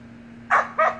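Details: Samoyed puppies playing in a pool with their siblings give two short, bright yapping barks in quick succession; a steady low hum runs underneath.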